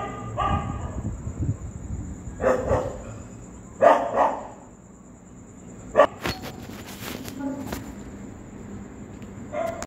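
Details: Street dogs reacting to a ghost sound, barking in scattered bursts with clicks, rustling and a steady high whine in the background.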